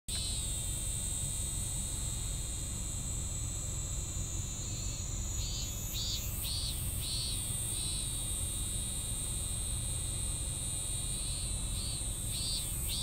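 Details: A cicada singing an incomplete, unfinished song: arched buzzy pulses start midway, come in a short run, pause, then resume near the end, over a steady high hiss of other insects and low rumbling background noise.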